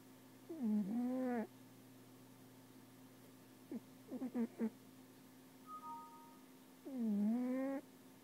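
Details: Sleeping cat snoring loudly: whistling, whining nasal tones on each breath that dip and then rise, repeated about every three seconds, over a steady low electrical hum.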